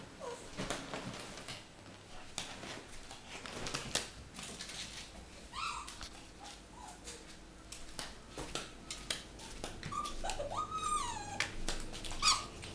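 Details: AlfRed the fox, excited on his second birthday, 22 April 2018, indoors in a small room: a few short, high, bending whines with harmonics, scattered among soft clicks, taps and shuffling thumps of movement.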